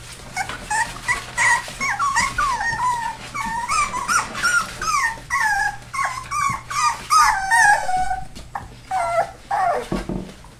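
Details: Rescue puppies, a Labrador/Hound mix four weeks old, keep up a near-continuous chorus of thin, rising-and-falling whines, several overlapping, roughly two or three cries a second, over a faint electrical hum.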